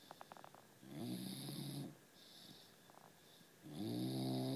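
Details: A bulldog snoring: two long, low, harmonic-rich snores, each lasting about a second, separated by a quieter pause with faint clicking breaths; the sound rises and settles into a steady rasp at each inhale.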